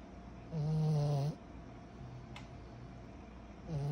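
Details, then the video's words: Kyro, a sleeping 14-month-old pug puppy, gives one loud buzzy snore lasting under a second, low and rumbling with a rasping edge, then a quiet pause before the next snore begins at the very end, in a small quiet room. "Our SNORING 14 months old PUG PUPPY"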